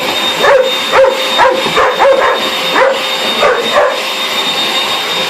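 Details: A pet dog reacting wildly to a hoover, giving a handful of short, squeaky yaps spaced about half a second apart while the loud vacuum drone fills the room.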